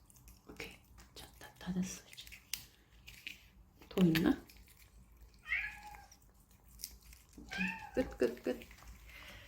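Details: Stray desert cat in Abu Dhabi during a Churu treat party, giving two short, bending, harmonic meows in the second half, with soft speech and rustling indoors around them.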